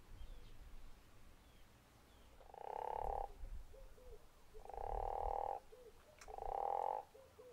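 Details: Three long, pulsed snoring croaks from a guttural toad at Zeekoevlei, roughly one to two seconds apart, with faint short chirps between them and a low rumble beneath.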